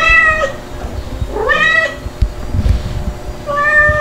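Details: Stuart, a white kitten two months old, described as still a cry baby, calls near his nursing mothers. Three clear, harmonic meows, the middle one sweeping upward, separated by quiet shuffling.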